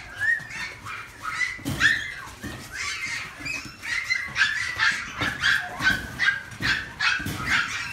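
A pug gives high, thin whines and short yips, repeated in quick uneven bursts.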